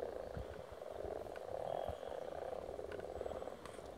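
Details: Frogs spawning in Silton Forest, many calling together in a dense, continuous, low purring croak chorus.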